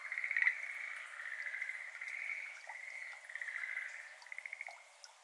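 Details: Schlegel's green tree frog, endemic to Japan, heard faintly on a May evening in a water-filled iris garden; soft, distant pulsed trills running together, with scattered water droplets falling into the pond.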